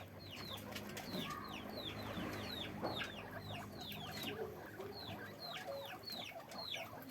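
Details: Guinea pig squeaking in a farm cage: dense, overlapping high whistles that each slide quickly downward, poured out almost continuously by many animals against low background rumble.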